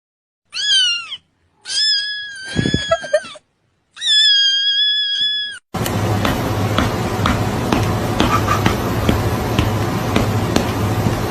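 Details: Cat giving three drawn-out, high-pitched meows, each clear and tonal with a slight fall at the end, separated by short pauses; after about six seconds the calls stop and loud, steady crackling noise takes over.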